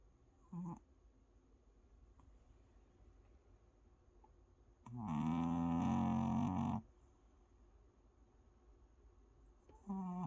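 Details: Rescue dog, adopted and freshly back from the vet after its vaccine shots, in deep sleep: a single long, low, buzzing snore of nearly two seconds mid-clip, with brief fainter breaths at the start and end in a quiet room.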